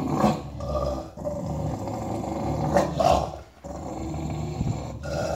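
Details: A pet bulldog angry that another dog has taken its bed. It gives a steady, low, rumbling growl with short pauses and louder swells, indoors.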